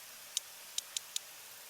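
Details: Two sperm whales exchange codas with sharp, dry, irregularly spaced clicks: both switch from a regular four-click coda, one slips into a 1+1+3 pattern, and both then produce 1+1+3 while overlapping rather than taking turns.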